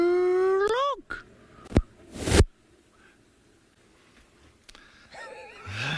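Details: A spotted hyena, known as Sherlock, gives a hollow, rising call that swoops up and then drops away, heard at sunset from an open clearing near a breeding herd of impala.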